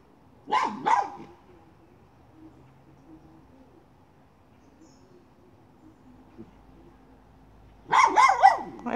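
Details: Miniature schnauzer hunting a chipmunk: a pair of sharp, loud barks opens, followed by several seconds of near quiet, then a fresh rapid cluster of three or four barks at the end.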